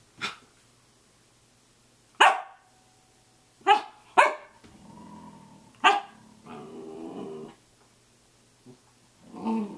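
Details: Early-morning Samoyed at 6:00 a.m. giving four sharp, separate barks spaced a second or two apart, mixed with brief whining, grumbling tones and a few soft knocks.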